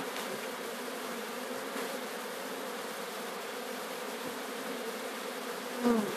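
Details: Sicilian honey bee swarm being captured at Sciacca: a dense, steady hum with a low drone and an overtone above it, continuous throughout, ending in a brief louder knock.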